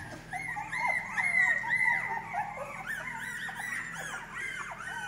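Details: Whining female English Cocker Spaniel puppies, from a litter in Spain to be delivered in August 2022: rapid, overlapping high squeaks and bending whimpers, about two per second, a dense continuous puppy chorus.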